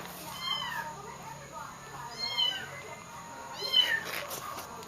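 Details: Domestic cats crying for a kitten killed in a dog attack: three drawn-out, high meows about every one and a half seconds, with a woman's soft comforting voice and a steady electrical whine.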